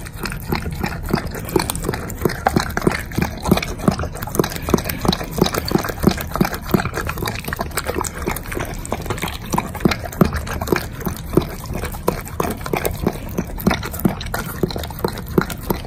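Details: A Doberman eating a pile of bacon on its dog food chews noisily, with steady wet, crunching bites repeating several times a second.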